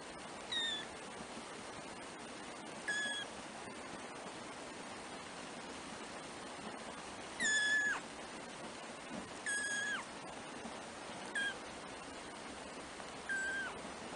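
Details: Four black three-week-old kittens, first-born litter of a cat named Trisya, give thin high mews, some short, some drawn out and falling, scattered roughly every two seconds over a steady background hiss.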